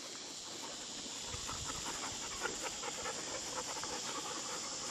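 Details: A pet dog, one of four household dogs named Lexy, Peyton, Ryder and Mollie, panting on a cool day; quick breathy huffs repeated about twice a second, soft and steady, with faint room noise behind.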